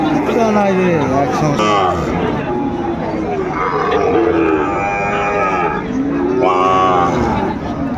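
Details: Several cattle moo in drawn-out, rising-and-falling calls at Dinajpur's Ambari cattle market, 18 November 2024, where Sahiwal bull calves are on sale. Voices and crowd noise run underneath.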